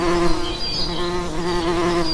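A bee buzzes steadily, a low droning hum with a rich stack of overtones.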